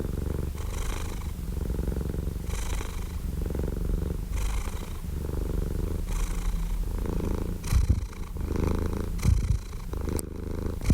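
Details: Domestic cat purring in a steady low rumble, with louder breath phases returning roughly every two seconds and a few uneven, breathier pulses toward the end.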